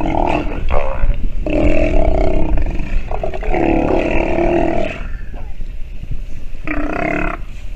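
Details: Sea lion pup nursing and calling: three bleating, roughly one-second cries separated by short gaps, slightly wavering in pitch, with steady low background rumble throughout.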